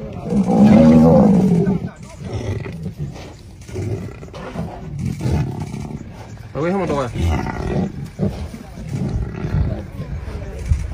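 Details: Lion fighting a buffalo: a loud, deep roar with a rough, harmonic tone fills the first two seconds. Lower growling and grunting follow, mixed with voices and scattered noise.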